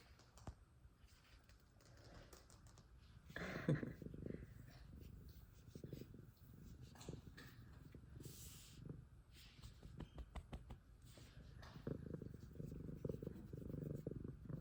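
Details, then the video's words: F2 Savannah cat purring very loudly: a steady low rumbling drone, throbbing in slow waves and swelling louder toward the end, with scattered soft taps and rustles around it. "Extremely Loud Purrs From Sweet F2 Savannah Cat"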